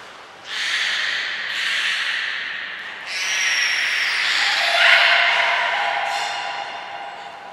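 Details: During training at Port of Nagoya Public Aquarium on 5 June 2021, belugas Hodoi, Gray, Nana and Nico give hissy, breathy bursts and snort-like sounds, then a brief warbling whistle near five seconds.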